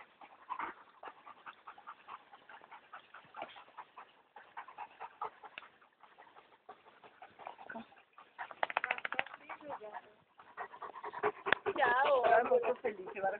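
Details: Two dogs, Brad and Olivia "Olly", playing on 19 June 2011 at 16:18 at B&B Torricella; rustling scuffles and panting give way to loud, wavering growl-whines toward the end, with human voices in the background.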